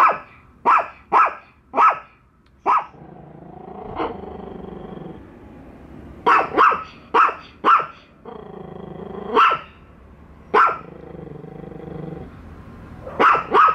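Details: Bico and Faith barking nonstop at a toy dog they distrust; bursts of rapid sharp barks alternate with sustained low growls, the pattern repeating several times.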